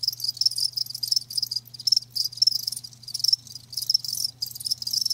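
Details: Shrill chirps from live crickets come in short clustered bursts separated by brief gaps, high and insistent, with a faint low hum in the background.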